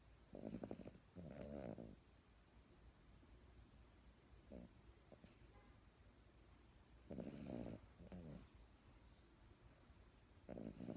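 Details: Dog asleep in someone's arms, snoring: soft buzzy rasps in pairs of short breaths, separated by quiet gaps of several seconds.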